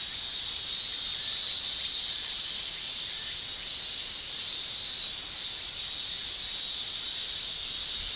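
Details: A summer cicada chorus in Japan, with males buzzing by tymbal. The high, unbroken shrill wavers gently in loudness over the whole stretch. A faint lower hiss sits beneath it, and nothing else intrudes.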